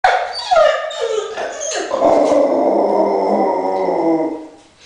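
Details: Dog said to be crossed with a lion giving a long drawn-out vocalization, starting with short yelping notes and then a sustained wavering howl with rich harmonics for nearly three seconds before fading.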